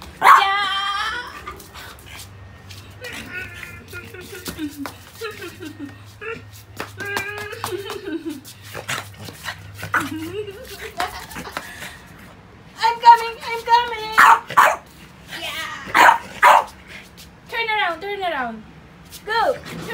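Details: Pet French Bulldog named Pogi, stubborn while playing with rubber toys, giving drawn-out wavering whines and falling yelps in scattered runs, then denser harsh bursts near the end, over indoor room noise and human speech.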